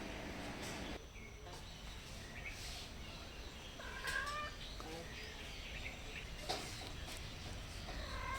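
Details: Hungry stray cats at a house, meowing softly while seeking food and a safe place; a few short, bending harmonic meows stand out around the middle over steady outdoor background noise.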